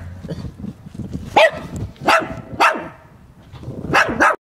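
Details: Chihuahua named Zoe barking eagerly once he stops hiding; about five quick, high yaps, some spaced half a second apart, with low rumbling background noise between them.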